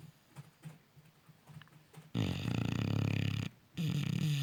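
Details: Deeply sleeping Cane Corso puppy snoring loudly. Quiet, low breathy puffs give way to a heavy, rattling snore lasting over a second, a brief pause, then another rough snore starting.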